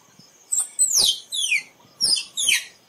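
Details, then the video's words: High squirrel squeaks, five sharp descending notes in quick succession, each sliding from very high to mid pitch, loud and clear over a quiet background. "เสียงกระรอกร้อง คมชัดไว้ต่อ squirrel sound"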